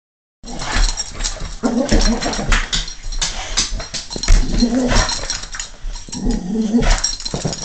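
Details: Domestic dog growling in a mock-tough way, low wavering rumbles rising and falling in several bursts across the clip over steady background noise, a person exclaiming afterwards.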